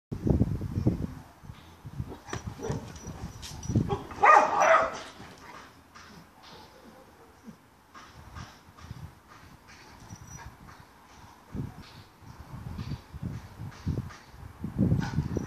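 An Alaskan Malamute greets the neighbours with irregular low woofs, yips and whining talk.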